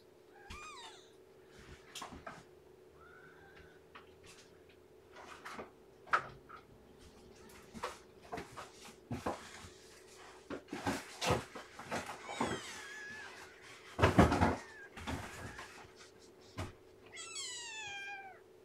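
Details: Underweight newborn kitten from Shelby's litter, too weak to hold her temperature, receiving feeding and warming; scattered thin wavering mews at the start, middle and end, with a clear falling cry near the close, amid dense clicks and rustling.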